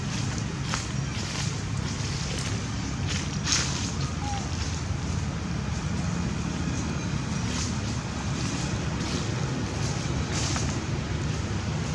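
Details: Steady low rumble of wind and engine noise with scattered clicks, and no animal voice.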